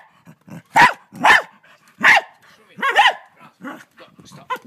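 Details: A dog scared of a huge mantis in Australia lunges and barks loudly, giving four strong, harsh barks about half a second apart. A few softer yelps follow, with faint background noises in between.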